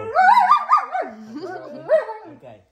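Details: Pet German Shepherd grumbling back during roll-command training in a small space, one continuous warbling moan that wavers up and down in pitch for over two seconds, then fades.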